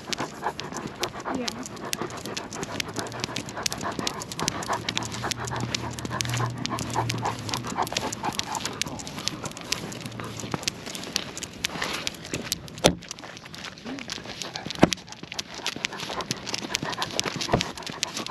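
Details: Night walk with Lucia, a Great Pyrenees, and a Goldendoodle called Timmy: quick, breathy dog panting continues through the walk, mixed with scuffing steps, jingling and a few sharp knocks.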